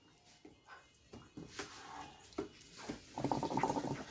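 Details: Dobermann giving a short harmonic whine in the last second, after scattered soft clicks and knocks in a quiet space.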